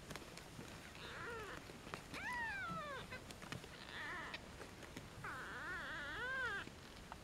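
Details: European shorthair kittens aged one and a half days, from a cattery's first litter born July 11, 2013, handled after weighing; several arching, quavering high-pitched mews, about four distinct cries, with soft background rustling.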